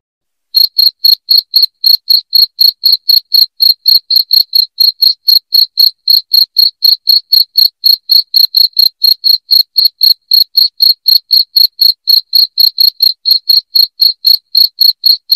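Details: Loud cricket chirping, played to drive rats away from the house: a steady train of sharp, high, ringing chirps, about four each second, evenly spaced and continuous after a brief silent start, with no other sounds.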